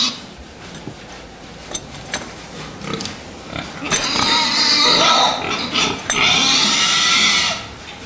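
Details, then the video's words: Fattening pigs in a pen, loud prolonged squealing from about four to seven and a half seconds, high and harsh, preceded by scattered clanks and short grunts. "prasata výkrm"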